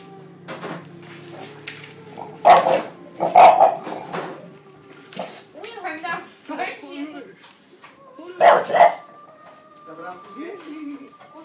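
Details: An English Bulldog, startled when someone touched the laundry basket, gives a few deep, gruff single barks, with people talking in between.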